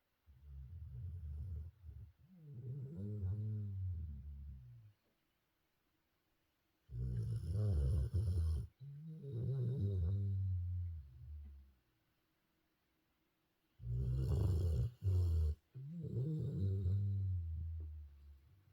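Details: Jinju, a golden retriever in Busan, sound asleep and snoring heavily: rough, low, rattling snores about every four to seven seconds, each in-and-out breath in two parts, with silent pauses between.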